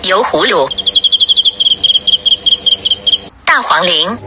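A cricket trills in quick, evenly spaced high pulses, about seven or eight each second, steady in pitch. A person's speaking voice can be heard briefly at the start and again at the end.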